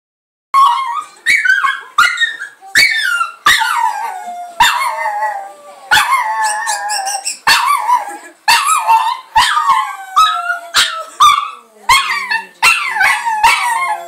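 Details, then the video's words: Carrie, a pet pug, howling in a series of short yelping howls that start high and slide downward, each burst breaking off abruptly, repeated roughly every second for the whole stretch. "Howling Pug"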